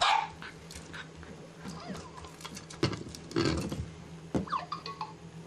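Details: English bulldog puppies, about seven weeks old, at a ranch while playing with toys and being washed; short sharp yips and small barks scattered through the clip, with faint background hum and some handling noise.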